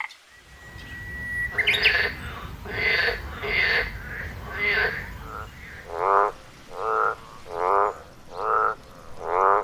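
A frog gives a steady series of harsh, nasal croaks, each about half a second long.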